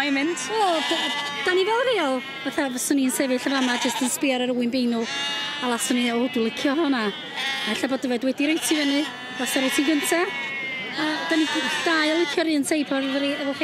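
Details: Welsh Black Mountain sheep bleating in a flock: overlapping wavering, nasal bleats with several voices calling almost continuously, some rising and falling, with short sharp clicks and knocks between calls.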